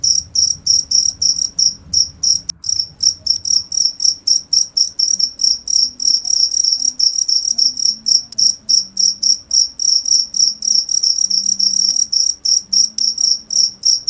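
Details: Insistent cricket song of quick high chirps, three to four per second, steady throughout, with faint low murmurs and a hum in the background.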